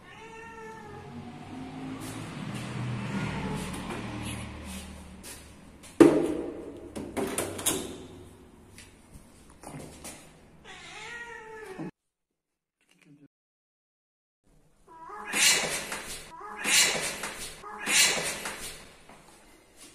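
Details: Siamese cat meowing indoors: a series of rising and falling tonal meows, several short bent calls early, then three loud repeated meows after a brief silence, with soft background voice-like noise and a thump.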